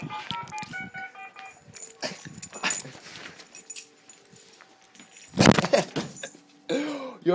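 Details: Sam the Rhodesian Ridgeback playing at work with a person's arm: a loud, coarse growl-bark burst midway, then a high, wavering whine at the end, with clattering and background tones.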